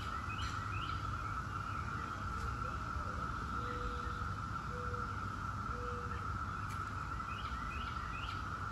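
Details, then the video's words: Brood X periodical cicadas, the 17-year emergence, producing a constant buzzing drone at an even pitch, while songbirds chirp and tweet above it and several short low whistled notes sound midway. "17-Year Cicada Brood X Sounds"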